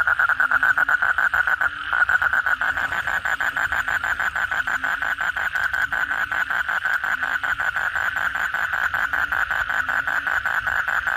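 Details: Night chorus of kodok bangkong after heavy rain, many frogs together producing a steady buzzing pulsed trill with faint low croaks underneath.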